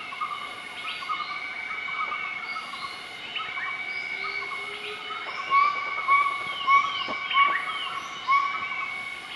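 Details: Group of southern white-cheeked gibbons duetting their morning call in Nakai-Nam Theun National Protected Area, central-eastern Laos, 20 March 2014; short rising whistled notes swell in a burst midway, over a steady high insect drone.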